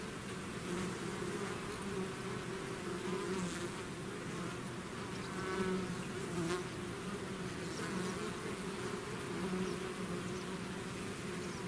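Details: Honeybee swarm leaving its hive, a dense continuous buzzing hum with a steady drone band and many overlapping wingbeats, occasional louder individual bees passing close by.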